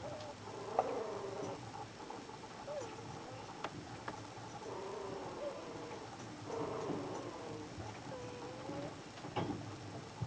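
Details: A young puppy born on 24 March, asleep and snoring: faint squeaky, whistle-like snore tones that wobble and bend, recurring every few seconds over steady background hiss and noise.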